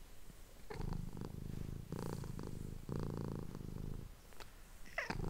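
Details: Domestic cat, a female, recorded up close indoors purring as someone whispers nearby; a deep throbbing rumble comes in phrases of about a second with brief gaps between them, and a faint click sounds near the end.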